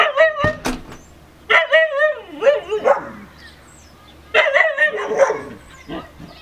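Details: A female Siberian Husky talks to a neighbouring dog through a fence: wavering, yodel-like howled phrases rising and falling in pitch, delivered in bursts separated by short pauses, with a sharp yip near the start.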